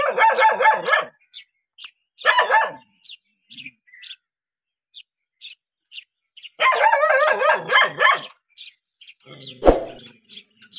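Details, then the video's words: Dog reacting to a stranger with fast runs of hoarse, rapid barks in three bouts, the longest near the middle, while small birds chirp faintly in the gaps and a sharp knock sounds near the end. "How Dogs React When Seeing Stranger 11 - Running, Barking?"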